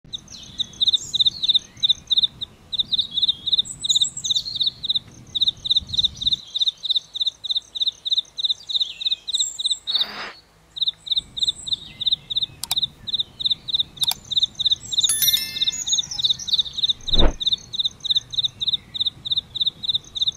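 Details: Cricket chirping beside a flowering aloe vera plant: a steady run of short pulsed chirps, each a tight cluster of clicks, repeated about three times a second, with a second fainter higher caller and a few brief knocks and sharp bird-like notes.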